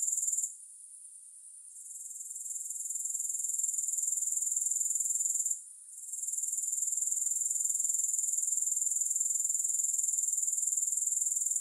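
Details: A shrill, high grasshopper buzz pulses rapidly. It dips and fades twice, first for over a second near the start and then briefly midway, before swelling back to a steady trill. No other sounds.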